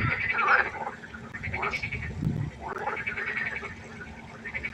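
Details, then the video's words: Frogs croaking at night by a pond, overlapping pulsed calls around the upper-middle range, several callers at once with a brief low thump near the middle. "1 Stunde Froschkonzert. Frosch Geräusche quaken. Frösche Geräusche Konzert"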